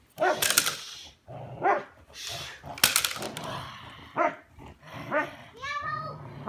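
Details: Belgian Malinois named Bullet doing bite work in a back yard: short, sharp, arching barks come roughly once a second in uneven bursts. A person talks throughout, and broadband thumps and scuffs from the training are mixed in.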